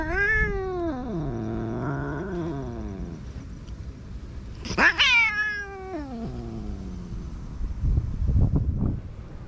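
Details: Street cat in Japan that comes to be petted, then turns angry and lashes out with a paw; long descending complaining meow, a sudden harsh sharp cry midway, then scuffling thumps at the end, filmed on a GoPro.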